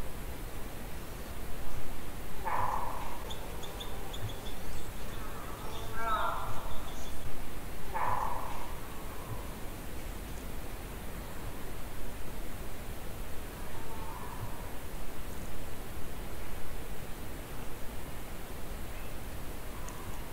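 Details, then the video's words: Moose recorded during a hunt at a distance of 200 to 800 feet on a windless day: three short, moaning calls close together in the first eight seconds, then a fainter one later, over a steady hiss of background noise. "Moose orignal Divers vocalises"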